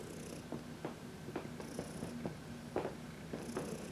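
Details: Senior domestic cat, a 14-year-old female adopted from a shelter, purring contentedly while being massaged in the sun on March 19, 2021; steady low droning purr with rhythmic pulses, scattered sharp clicks and faint high hissing bursts.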